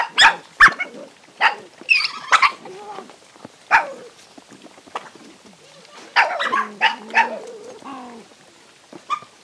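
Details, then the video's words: Several hungry stray dogs fighting while being fed, giving sharp, irregular barks and yelps in quick bursts, some drawn into whining, wavering cries, with a dense scuffle of calls around six to seven seconds and brief quiet gaps between. "Omg many poor dogs eat and fight"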